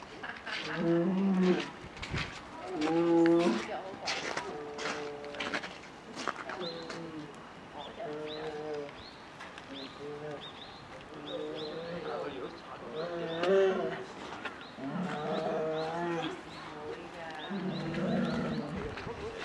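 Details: Female polar bear cub, about 11 months old, begging its 17-year-old mother for milk at Maruyama Zoo, Hokkaido, Japan, December 15, 2011; pulsing, harmonic moaning calls repeat every one to two seconds amid crowd chatter and clicks.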